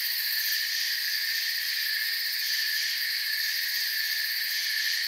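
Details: Forest crickets trill nonstop, with high, buzzy chirps merging into a thick, level chorus that holds unchanged throughout, free of wind, voices or other animals.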